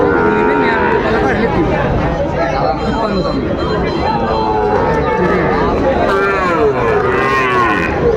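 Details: Sahiwal breed bull calves offered for sale at Raniganj market, Dinajpur, at the market's opening on 22 January 2026; several overlapping bellowing moos, some wavering upward, sound over constant crowd talk.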